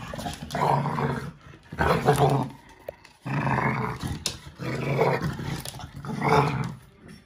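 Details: During play with an adult American Staffordshire Terrier, a five-month-old American Bully puppy growls while grabbing the toy. Deep, grating growls come in five bursts, roughly one every second and a half, separated by brief lulls.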